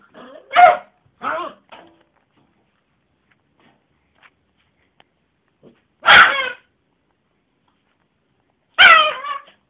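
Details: Jessy, a pet Yorkshire terrier with a funny bark, indoors: a pair of quick high yappy barks, then a few seconds of quiet, then two more single sharp harmonic barks spaced about three seconds apart.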